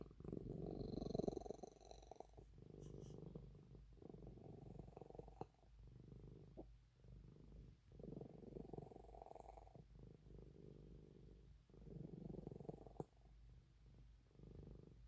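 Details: Old cat purring in a small room, a deep throbbing rumble in repeated swells with brief breaks between breaths, steady throughout.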